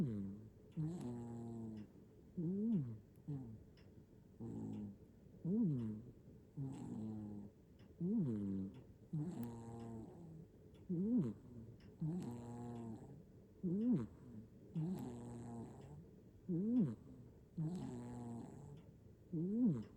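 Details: Nana, a black-and-white hachiware cat sleeping comfortably in Japan, recorded by iPhone 15 Pro Max, gives a steady run of snores: droning exhales and arched, nasal inhale squeaks, around twenty breath sounds spaced one to two seconds apart.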